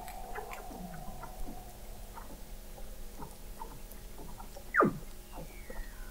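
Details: Weddell seals singing beneath thick sea ice in McMurdo Sound, Antarctica, recorded November 2017 by a fixed underwater observatory 21 m below the ice: a loud steep descending sweep near the end, over a steady low tone and scattered clicks and chirps.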